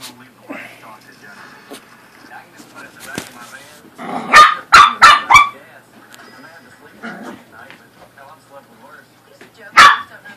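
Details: Corgi and Pomeranian dogs playing indoors; a quick burst of four sharp barks in about a second and a half, then one more bark near the end, with talking and household sounds between.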